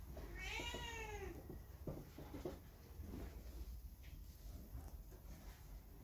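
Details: Factory cat Hae, left on its own after the dogs it lived alongside were driven off in a truck, gives one drawn-out, bending meow, followed by soft thumps and low rustling noises.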